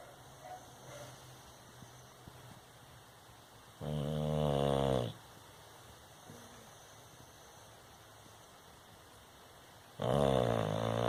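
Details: Snoring from a sleeping Bulldog: two long, gravelly, harmonic-rich snores about six seconds apart, each over a second long, with soft breathing noise in between.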